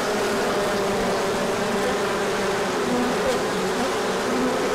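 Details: Many bees taking a large orientation flight in sunshine after a cold spell, 24 March 2024; dense continuous hum, several buzzing tones weaving and drifting as bees pass.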